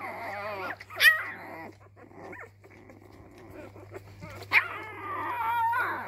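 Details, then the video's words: Labrador puppy finding its voice indoors: a few wavering whines and a sharp yip early, a quiet growly pause, then another yip leading into a long rising and falling whimpering howl, with a low background hum. "Welpe Herr Rot entdeckt seine Stimme."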